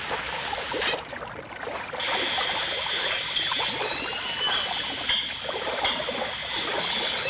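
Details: Dolphins, with orcas, in a 1989 stereo recording: high, thin whistles hold steady and slide briefly upward after a quiet opening second, set against dense popping clicks and a hiss like running water.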